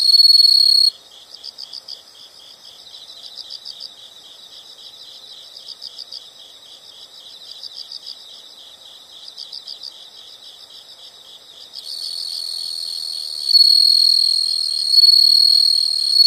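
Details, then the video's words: Nature sound of insects: a loud shrill trill cuts off, leaving rhythmic high chirps grouped in short bursts about four per second, until a continuous sizzling trill returns and grows louder near the end. "the sound of insects"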